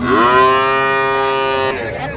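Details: Improved-breed dairy cow or calf at Ambari haat cattle market, 2/3/25: a single loud, sustained moo with rich, steady harmonics lasting under two seconds, then a clipped ending and faint market noise.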